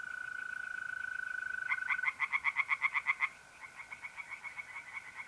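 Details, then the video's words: Tree frogs in a pond at night, April, north-eastern Italy: a loud run of quick rhythmic croaks, a short pause, then softer croaking, with the unbroken buzzing trill of mole crickets throughout. "relaxing singing tree frogs in pond and trilling mole crickets by night"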